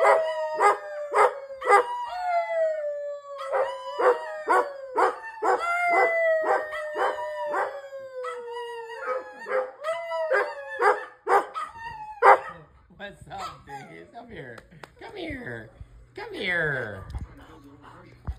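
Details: Standard poodle producing a run of rhythmic, yodel-like howling yelps, about two per second, each wavering and gradually sinking in pitch, then breaking into rough, noisy vocal sounds toward the end.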